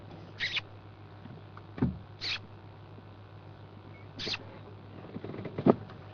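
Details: Dwarf mongooses, a family group of at least two playing on a road in South African bush on a February morning around 8am, give short, high, scratchy chirps about every two seconds over a low idling engine.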